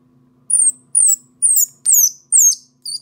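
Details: Lost orphan baby squirrel crying for its mother, five sharp high-pitched squeaks falling in pitch, roughly two per second, over a faint low steady hum.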